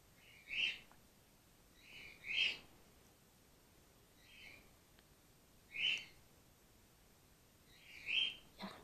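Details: Hand-reared grey-headed flying-fox pup, a young female, bottle-fed while her stressed, concussed mother recovers. A series of five or six sharp, high-pitched squeaks at irregular intervals of one to three seconds, some louder than others.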